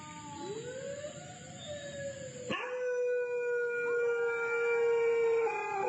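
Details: Dog howling through the night near the Cambodian border: a wavering howl rises and bends, then breaks off abruptly into a long, level, sustained wail that holds for about three seconds.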